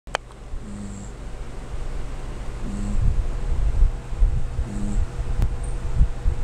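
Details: Corgi named Lin Xiaolang asleep, snoring about every two seconds, each breath a short low droning rasp with a faint hiss above, over a steady electrical hum and soft rustling.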